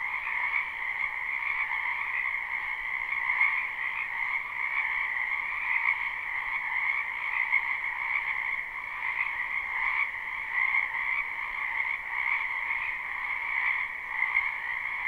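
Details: Many frogs croaking in a wetland behind a house in spring, live recording: a dense, continuous chorus of overlapping trills in two steady bands, mid and higher pitched, with no gaps and no other sounds.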